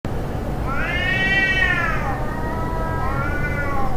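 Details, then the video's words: Cats fighting: one long, drawn-out harmonic yowl that swells upward, sags, then carries on as a lower wavering moan to the end, over a steady low rumble. "Cats fight sound"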